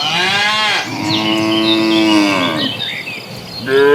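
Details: Crowd of dozens of cattle walking to green pasture; loud overlapping moos, one long sustained bellow lasting nearly two seconds flanked by shorter ones, with faint bird calls behind.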